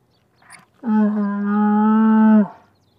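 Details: Camel giving a single drawn-out, steady, low moaning call of about one and a half seconds, smooth and even in pitch, with only a faint short noise before it and quiet surroundings.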